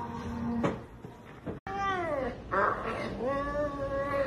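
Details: An energetic Savannah cat that loves eating chicken gives drawn-out, wavering meows with a rich harmonic tone.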